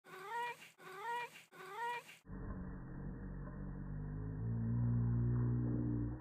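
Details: White domestic cat playing with catnip indoors, giving three short harmonic meows in quick succession, each dipping then rising, followed by a low rumbling, pitched-down stretch like a slow-motion replay.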